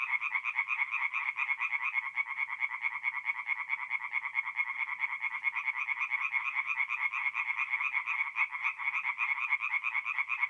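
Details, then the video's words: Tree frogs chorusing at night at an Italian forest pond in April, many males overlapping in a continuous rattling stream of quick nasal croaks, steady loudness, nothing else audible. "relaxing forest pond by night with singing tree frogs"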